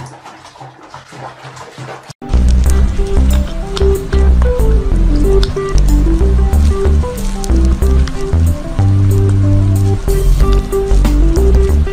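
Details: Quiet low rumble gives way to loud rhythmic music with a repeating melody, no animal sounds.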